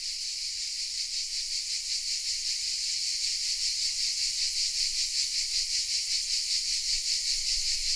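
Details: Cicadas singing hidden in oak trees in the village of Vézénobres, south of France, recorded on a Sony RX10 M3 camera: a loud, dense, hissing buzz that throbs in steady pulses, about two or three per second, with nothing else heard.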